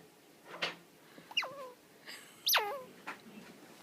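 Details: A baby squirrel, rescued after falling between the walls of a warehouse workplace and held in gloved hands, gives sharp, high squeaks that sweep steeply down and end in a brief lower tail.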